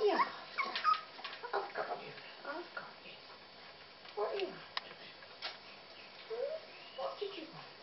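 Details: Puppies fed cat food, which they prefer to puppy food, give repeated high, thin whimpers that slide downward, roughly one every second or so, while a woman talks softly to them over light background noise.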